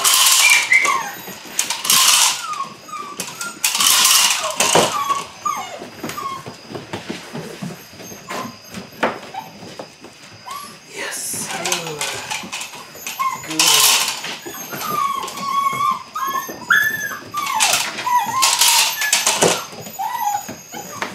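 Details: Eight-week-old Belgian Malinois puppies from one litter at the start of bite work: short high whines and yelps scattered throughout, mixed with bursts of scuffling and broadband noise and a steady high background tone.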